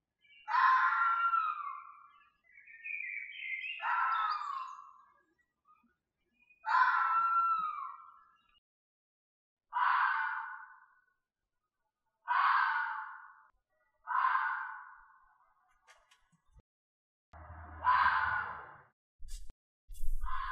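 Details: Red fox screams in a loose series of eight rasping, strained cries, some with a wavering bent tone, each around a second long, followed by a few faint clicks and a low rumble near the end.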